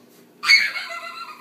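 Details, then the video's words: Two dogs, Dudley and Fred, playing indoors, Fred getting a bit carried away; one sudden high-pitched harmonic squeal that bursts out and fades over about a second, over a low steady room hum. "Dudley & Fred playing"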